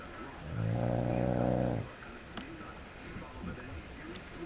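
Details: Pet dog snoring: a single long, low, buzzing rumble of about one second, followed by faint room noise and light clicks.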